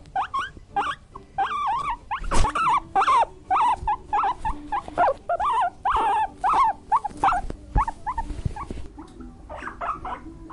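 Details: Guinea pig squealing almost without pause in dense, wavering, whining notes that rise and fall. A couple of sharp knocks are heard, and the calls thin out toward the end.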